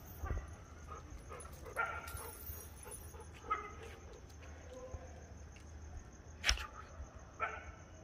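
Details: A Great Dane searching for rats gives short, scattered yips and whimpers over a steady background hum.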